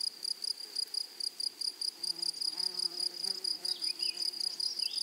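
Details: Rapid pulsed rasping of grasshoppers in a flowery meadow, about two and a half pulses per second, over a low harmonic call in the middle and brief rising bird whistles near the end.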